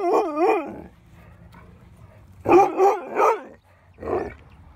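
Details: Winston, a mouthy pet dog being trained to obey at a dog park, loud and defiant: a wavering, rising-and-falling whine-like howl, then a quick run of three harsh barks and one more bark after a pause, with outdoor background hum.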